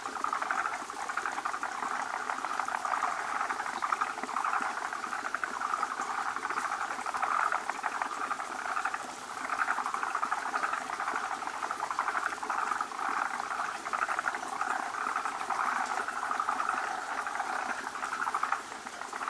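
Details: Forest green tree frogs assemble at their egg-laying place, many males surrounding one large gravid female producing bubbly foam egg clusters. Long unbroken chorus of fast, overlapping clicking pulses with a bubbling, churning texture.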